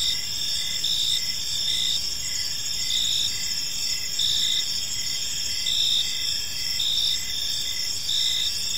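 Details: Chorus of crickets in a quiet park as evening falls, bright high trills pulsing steadily around once per second, multiple insects overlapping in a constant shimmering drone with distant low noise.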